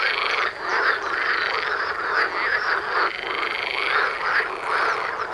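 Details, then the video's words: A dense chorus of frogs at a pond about 500 m from houses, calling day and night, gives overlapping croaks in a continuous rattling wall of sound. "Froschkonzert vor der Haustüre/Natur pur/Die Liebe macht viel Spaß"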